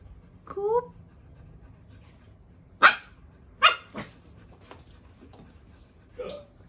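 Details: Belgian Malinois puppy playing with slippers indoors: a short rising whine, then three sharp barks roughly a second apart and a softer final yelp, with quiet room noise between.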